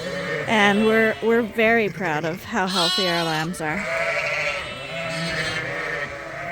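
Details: Suffolk lambs in a barn at Ewetopia Farms, groups mixed after a gate was left open; several quavering, wavering bleats overlap in quick bursts during the first four seconds, then a softer, steadier murmur of calls follows.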